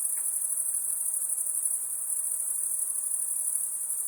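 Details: Crickets at night giving a constant high, rapidly pulsed trill, level and unchanging over a few seconds, with a brief faint tick near the start and quiet hiss below.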